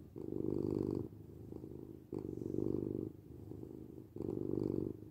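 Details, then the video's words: House cat purring in a relaxed rhythm: three strong rumbling pulses, each about a second long, alternating with quieter purring between, steady and low-pitched throughout. "8 minutes of Cat Purring"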